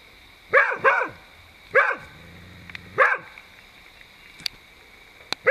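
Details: Beagle confronting a Dhaman rat snake in a vegetable plot, barking in irregular bursts: a quick double bark, then single barks spaced about one to two seconds apart, five in all, with a few faint clicks between.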